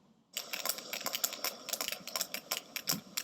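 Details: Sperm whales in a social group off Sri Lanka produce a rapid, irregular stream of sharp, dry clicks overlapping into a crackling chorus, communicating over short distances.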